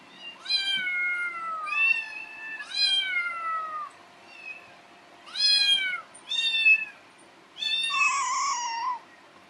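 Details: Happy, a kitten rescued in summer 2018, calls out hungry in the morning: roughly seven clear, drawn-out meows, mostly sliding downward, the last one wavering and strained, separated by brief silences indoors.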